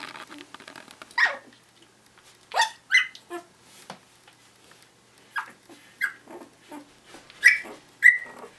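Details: One-week-old Finnish Lapphund puppies, active while asleep, giving short high squeaks and whimpers, irregular and scattered, some rising then falling sharply, with quiet rustling between calls.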